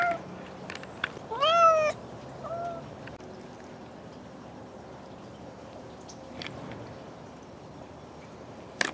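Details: Bengal cat at play with toy mice, one loud rising-then-falling meow near the start followed by a shorter softer call, then quiet rustling and faint tapping in a small room.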